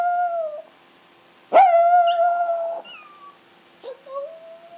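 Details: Pet Chihuahuas Ace and the brown Oscar howling, as Ace does when he can't find his mom: a fading howl, silence, then a strong steady howl of about a second and a rising final wail.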